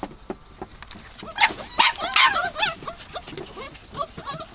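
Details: Dog letting out a quick cluster of sharp, high yips and short barks in the middle, followed by softer scattered whines, with faint voices underneath.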